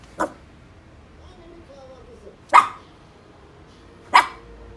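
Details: Angry Maltese terrier giving three sharp, explosive barks spread over about four seconds, with a faint thin whine between them and quiet room background.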